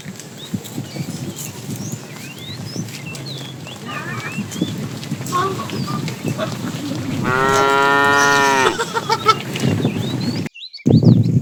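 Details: Calf in a herd of cows wandering in search of food during morning herding: a single strong, steady moo of about a second and a half after rustling and scattered bird calls, with a person speaking at the end.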